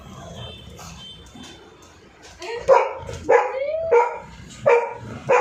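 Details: Frightened dog reacting to a drilling machine: after a quiet stretch with faint noise, a run of sharp, loud barks every half second or so, some with a rising whine attached.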